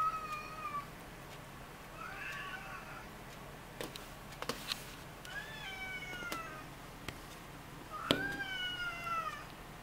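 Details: Nursing Ragdoll kittens born 20 February 2015. High, thin mews with a falling pitch come in three spaced bouts, along with faint rustling clicks indoors.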